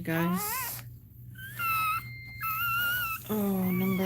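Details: A Cane Corso cries as another dog goes through labour, giving long, level, thin whines, some wavering slightly, between bursts of human speech in a room.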